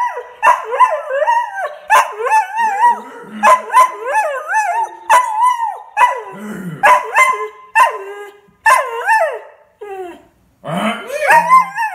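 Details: Pet greyhound, a rescue dog settled with a family, giving a series of short wavering howls and yips, each a bent, yodel-like note, repeated roughly every half second with brief pauses.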